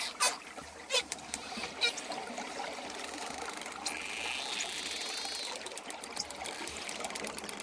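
A dolphin gives a brief wavering whistle in the high register, amid scattered sharp broadband clicks. Toward the end the clicks run together into a fast, steady train over a watery hiss.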